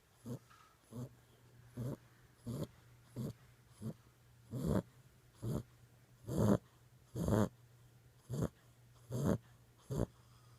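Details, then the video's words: Six-week-old Boxer puppy asleep, snoring in short rasping breaths roughly once a second, some louder and harsher than others, with a steady low hum beneath. "6 week old boxer puppy snoring."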